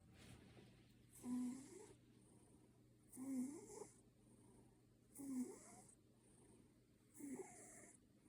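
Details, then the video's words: Ginger Maine Coon cat snoring like a person while asleep: four wheezy, rasping breaths, each about half a second long, coming roughly every two seconds, with a steady low hum underneath. "Кот храпит"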